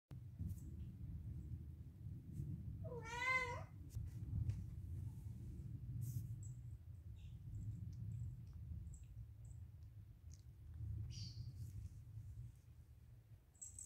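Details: Siamese cat giving one short wavering meow around three seconds in, over a low steady rumble, with faint clicks and rustles afterward.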